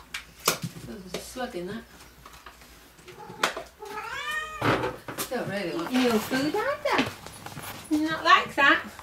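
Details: Several rescue-sanctuary cats awaiting new homes meow repeatedly, with drawn-out, falling and wavering meows clustered near the end, mixed with a woman's voice calling and talking to them in a small room.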